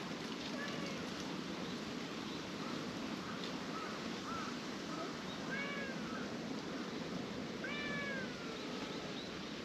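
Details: Ginger tabby cat going limp and relaxing on a person's lap; soft, thin meows with rising-then-falling arcs come in small clusters, strongest near the end, over a steady background hiss.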